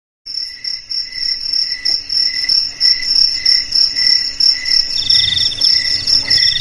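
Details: Cricket chirping, played to drive rats away from homes, garages, storerooms and rice fields: pulsed high chirps repeated about three times a second in overlapping rows, with a second higher chirping joining near the end.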